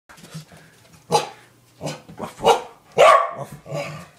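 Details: A playful female corgi barking indoors: a few short, sharp barks spaced irregularly, the loudest near the end, with soft low grumbling in between and a person's voice nearby.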